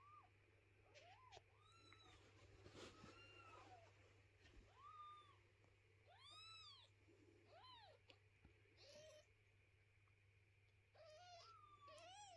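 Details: Indoors, a mother cat carrying her kittens and resisting cleaning of their house; many short, high, arched meows come one after another in quick succession, some sharper and rising, over a steady low hum.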